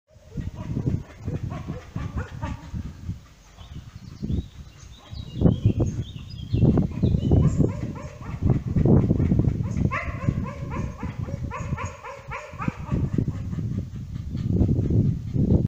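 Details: A dog grunts in odd, low snuffles while smelling a female dog in heat, then breaks into wavering, tonal whines.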